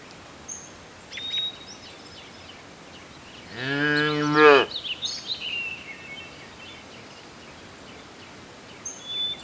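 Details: A single drawn-out moo from a cow grazing in ripening rice fields, lasting about a second, with scattered bird chirps before and after over a quiet outdoor background.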